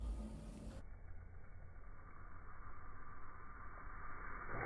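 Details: A dull, low rumble fills the recording, much like traffic or an idling engine nearby. No frog or other animal voice stands out from the noise.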